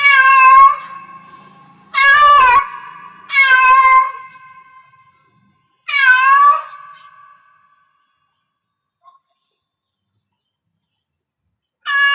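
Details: Domestic cat in heat giving four loud, drawn-out meows in the first seven seconds, each starting sharp and trailing off into a steady ringing tone, followed by a long silence before a fifth call begins.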